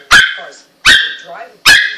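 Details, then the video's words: Russian Toy Terrier squeaking like a squeaky toy: three sharp, loud, high yelps spaced under a second apart, each quick and strained, with quiet lower murmurs between them. "Russian toy terrier sounds like a squeaky toy"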